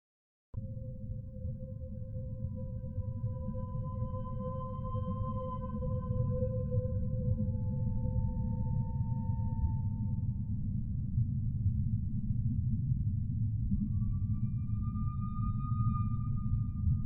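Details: Humpback whale song: long sustained tonal moans with harmonics, a steady tone near mid pitch overlapped by a higher wavering note, then a higher tone rising near the end, over constant low rumbling underwater noise.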